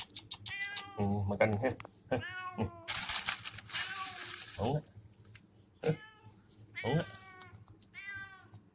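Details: A cat at a small shop giving loud, drawn-out meows and a strained caterwaul-like cry, mixed with a person's speech and a burst of rustling noise.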